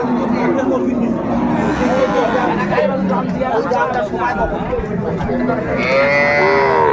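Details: Cows with calves, including Sahiwal-breed cows, at Ambari cattle market in Dinajpur on 15 April 2024; low drawn-out mooing rises through steady market chatter, bargaining voices and crowd noise.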